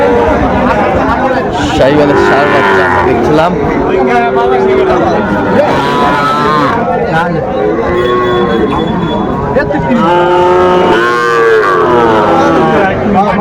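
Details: Young Sahiwal bull calves at a busy cattle market, a Dhaka farmer bargaining for the smallest ones, November 2024: several short harmonic moos and bellows recur between loud overlapping haggling voices and market chatter.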